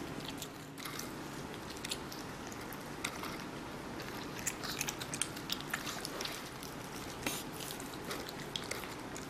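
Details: Kitten eating watermelon indoors. Wet, crunchy bites and chewing come as irregular bursts of sharp clicks through most of the stretch, over a low steady room hum.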